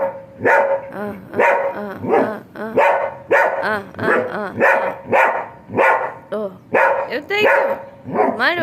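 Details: German Shepherd Sheru in a playful mood, producing a steady run of throaty, arching barks and grumbly woofs about every second, a person chanting and talking over them.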